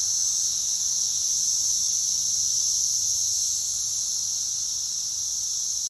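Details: Dense chorus of Brood X periodical cicadas in a back-yard pear tree, South Central Indiana, reaching about 113 decibels: an unbroken, intense high-pitched whine that holds steady throughout.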